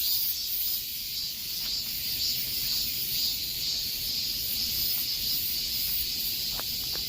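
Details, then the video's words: Cicadas singing in the midsummer heat, a loud, continuous high buzzing drone with a slightly pulsing texture, joined by faint scattered clicks and a low background rumble. "삼복더위에 들을 수 있는 매미 소리"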